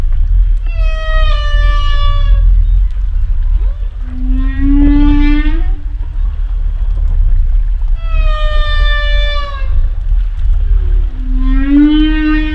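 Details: Humpback whale vocalizations: rich harmonic moans held about a second alternate with lower, shorter upswept groans, the pattern repeating twice over twelve seconds against a steady low rumble.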